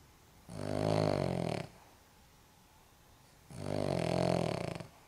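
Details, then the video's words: Elderly Cavalier King Charles Spaniel, aged 14.5 years, snoring indoors: two long, rasping, low snores about three seconds apart, each lasting just over a second with a buzzy, harmonic rattle, quiet pauses between. "cavalier king charles spaniel snoring"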